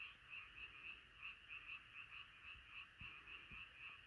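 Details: A frog's rapid pulsed croaks, roughly three to four per second, ring out clearly above a humming chorus of other frogs at night, with a few soft low taps.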